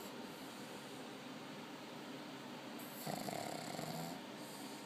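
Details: Asleep in Haifa, Israel, the Chinese pug Bili lets out a single coarse, fluttering snore lasting just over a second, after a stretch of near-quiet room tone.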